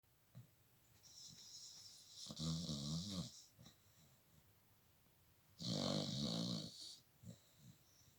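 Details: Pet dog snoring indoors: two long rasping snores, the first around 2.2 to 3.4 seconds and the second around 5.6 to 7 seconds, each with a low throaty buzz under a hissy breathy upper layer, separated by quiet breathing.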